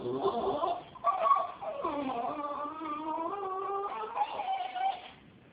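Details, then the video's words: Female Jack Russell Terrier reacting to a cat with unusual sounds likened to retching. A sustained, wavering, harmonic whine with a nasal tone rises and dips, unbroken for several seconds, then fades at the end. "funny dog (Jack Rusell) makes freaky sounds about cat"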